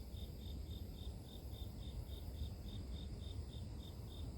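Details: Grass insect chirping, offered as pure nature sound for sleep: thin, high, even pulses about three per second, steady throughout, over a constant low rumbling background noise.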